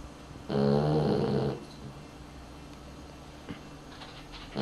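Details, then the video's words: A dog snores in its sleep: one strong grating snore lasting about a second, then a quiet pause before the next snore begins at the very end. "Unser Hund schnarcht - Dog snores"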